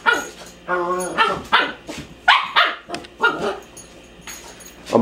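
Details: A puppy barks at a mop with brief high yips and barks scattered across a few seconds, while a man's voice speaks in between.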